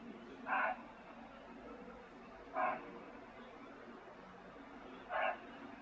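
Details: A barking deer gives alarm calls from nearby dense forest at Jim Corbett, India, single sharp, hoarse barks about every two and a half seconds, while a leopard is thought to be close by, towards evening.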